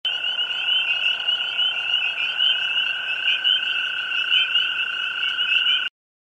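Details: A toad calling at a forest edge: one long, unbroken, steady trill held at an even pitch for about six seconds, with a fainter higher overtone, then an abrupt stop.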